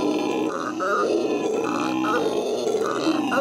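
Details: Howler monkeys in a zoo in Los Angeles, recorded in May 2014, give a sustained throaty roar that pulses roughly twice a second, dense and grinding with no pauses.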